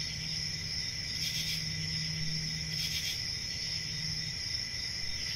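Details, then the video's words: Constant high cricket trilling with two short louder surges of chirps, above a quiet low hum and background rumble. "1 Hour of Cricket Sounds"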